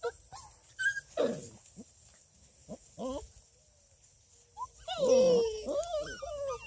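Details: Female Redbone Coonhound puppies, almost six weeks old, at a breeder near Kingston, Ontario, Canada: scattered short yips and squeaks, then a longer wavering whine that slides down and levels off near the end.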